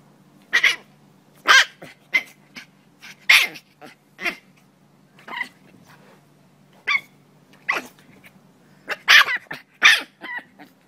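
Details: A cranky French Bulldog making irregular short, raspy grumbles and yelping bursts, a few clustered in quick pairs, spaced by pauses of about a second in a quiet room.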